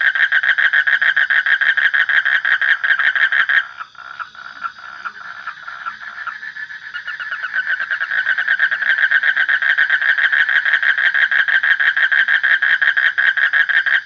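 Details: Frog giving loud, fast pulsed croaks in a continuous rattling train, briefly dropping to a softer, steadier trill in the middle before the loud pulsing resumes and carries on to the end.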